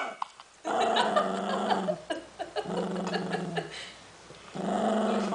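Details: Cavalier King Charles Spaniel pup Milton, 11 weeks old, refuses to share a great new snack, producing long, throaty growls in three sustained stretches separated by brief pauses.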